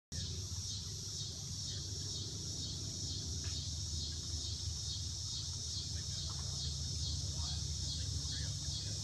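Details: A steady, shimmering insect chorus hums high overhead at Kankakee River State Park, with a low rumble of distant traffic or wind beneath.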